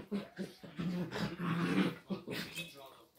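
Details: A female Chinese Crested Dog playing in her own way with a small miniature pinscher gives a rapid run of low, growly barks and grumbles, several per second, with short pauses between bursts.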